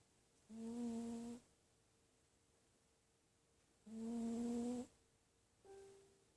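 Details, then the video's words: Dachshunds snoring indoors in a quiet room: nasal, humming snores each lasting about a second, two long ones about three seconds apart, then a shorter, softer third. "Snoring Weens"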